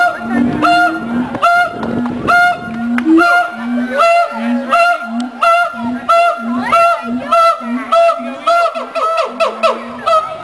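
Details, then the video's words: Siamang pair at the Columbus Zoo performing their territory and pair-bond duet; loud whooping barks speed up into a rapid series over short repeated low booms. "Siamang Duet"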